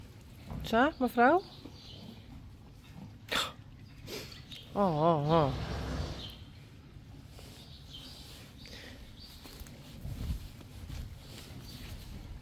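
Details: Friesian horse at a stable giving two quavering, tremolo neighs: a short pair of wavering bursts near the start, then a longer, evenly pulsing whinny a few seconds later, with people talking softly in the background.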